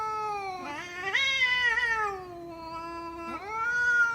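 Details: Cats meowing loudly: a rising, sustained wail that slowly sinks, followed by a second long meow that begins abruptly and holds steady.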